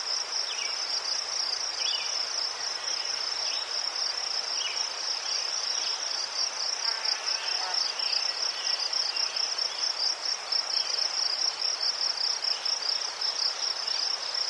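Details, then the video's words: Crickets calling among chrysanthemums in Ukraine: an unbroken high trill of fast, even pulses dominates, joined by brief softer chirps and a quiet low hum early on. "Заспокійливий звук цвіркунів//The soothing sound of crickets"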